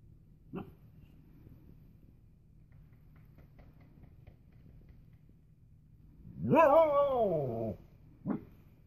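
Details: Siberian Husky playing outside for the first time with Siberian husky brothers: one drawn-out wavering howl lasting over a second, rising then falling, with a short yelp before and after and low background rumble.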